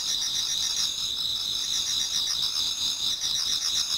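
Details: Dense pre-dawn autumn chorus of many insects in a Japanese garden, high continuous trilling with faint rapid pulsing, overlapping singers blending into a steady ringing drone.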